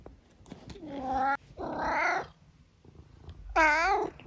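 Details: Tabby cat indoors, talkative, answering its owner: three drawn-out, tonal meows with rich harmonics, the first steady, the second higher and bending, the last rising then falling, separated by short pauses; faint room noise.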